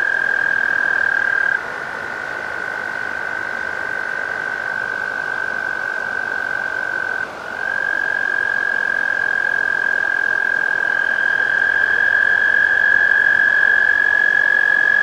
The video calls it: American toad (Bufo americanus)